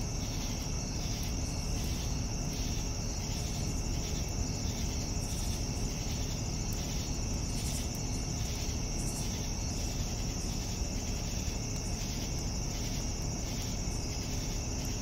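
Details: Evening crickets keep up a continuous high-pitched ringing drone, with rhythmic pulsed chirping below it over a dense low rumble of background noise.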